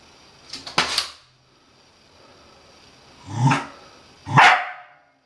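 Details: Scottish Terrier kept as a pet, indoors attacking a washing machine, giving three sharp separate barks, the first at once and two more after a pause, about one second apart, with a faint background hum.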